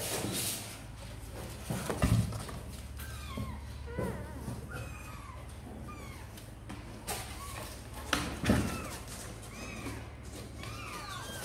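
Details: Kittens of Sor and Kapov, seemingly eager to come out and play, give repeated short arched high mews scattered through the recording, over a steady low hum and some thumps and handling noise.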